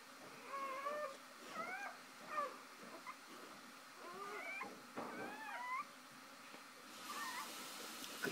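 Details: Shoobie, a mother dog, with her first three newborn puppies just after birth; high thin whimpering squeals rise and fall in short bursts, several overlapping, with quiet spoken voices nearby.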